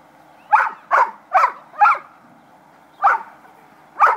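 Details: Playing puppies giving sharp, yappy barks: four in quick succession about every half second, a short pause, then two more spaced barks, with quiet background between them.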